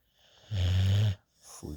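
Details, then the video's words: Young female rescue puppy asleep in a lap, giving a single low, rough snore lasting about half a second, followed by a brief soft breath. "Cute Puppy Sleeping in my Lap | Snoring Drooling and Tongue Sticking Out"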